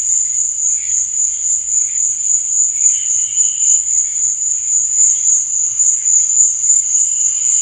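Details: Crickets chirping at night: a steady, shrill, very high-pitched trill that pulses quickly and evenly, with fainter, lower buzzing patches drifting in and out behind it.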